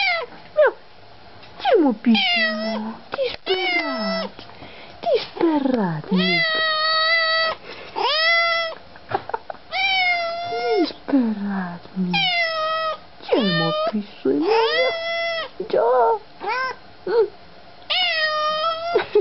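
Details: Domestic cats greeting their owners on seeing them again, giving a long series of loud, drawn-out harmonic meows, some rising then falling, others wavering, with short gaps between them and people talking and answering the cats.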